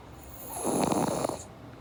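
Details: Pug snoring while asleep, one of two named Java and Morgan; a single rough, buzzy snore lasting under a second, with a steady high electronic hum in the background.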